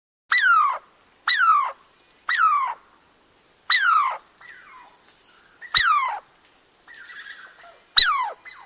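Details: Squirrel calling in a series of six short, descending harmonic squeals, roughly one every one to two seconds, with faint softer chirps between the later calls and a quiet background.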